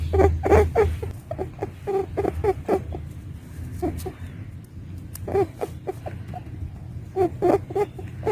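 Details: A female pet rabbit gives quick, soft clicking grunts in short bursts over a low background hum.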